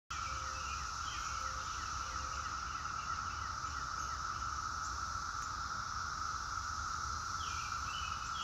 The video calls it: Cicadas Singing